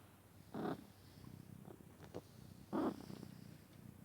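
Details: Domestic cat snoring loudly while asleep indoors: two harsh, breathy rasping snorts about two seconds apart, each under half a second, with soft low breathing rumble between and a quiet room behind.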